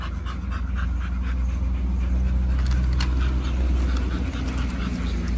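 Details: Pit Bull panting, one of two Pit Bulls named Oliang and Nomyen, around Chinese New Year 2020 on the way to a stay at Dog Space Hotel; quick, rough breaths about four a second over a steady, deep engine-like rumble.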